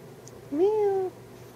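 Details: Cat indoors gives a single half-second meow that rises, holds level, then falls slightly, with a quiet steady hum underneath.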